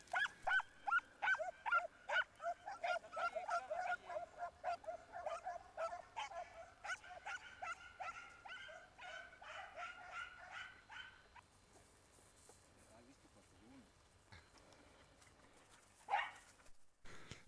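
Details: Segugio Italiano hounds on a hare hunt in an Italian vineyard, giving tongue on the chase: rapid, strong baying yelps in quick series that fade to distant, sparse cries, ending with a brief loud noise.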